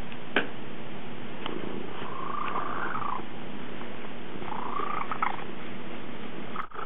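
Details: Domestic cats Pet Ranger and Woody, with Pet Ranger washing Woody. A steady, low rumbling purr runs throughout, with faint higher tonal sounds in the middle and a brief soft click near the start.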